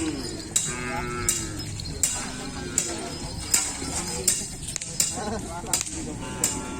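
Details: Kerapan sapi racing cattle training at the Asemanis track, Pamekasan, ahead of a bull race event: low lowing under a regular clinking beat about every three quarters of a second, with some voices.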